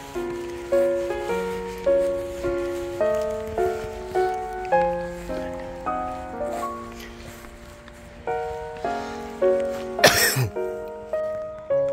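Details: Gentle plucked background melody repeats in steady phrases, broken by one brief rustling burst, and no animal voice is heard.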